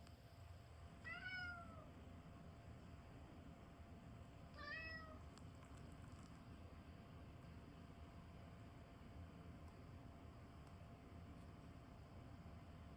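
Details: Calico cat crying indoors: two clear meows about three and a half seconds apart, each a short bent cry with rich overtones, the first longer and falling at the end, then quiet room hum.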